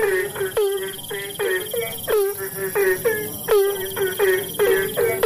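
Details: Kodok bangkong, the Asian common toad, in the rainy season: short nasal croaks come about every second or faster, each swooping downward, with neighbouring toads answering and a steady insect tone above.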